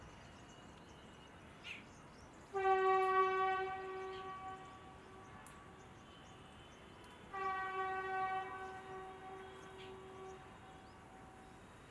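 Two long, steady blasts of a train horn, each about two seconds, sound over a low background hum.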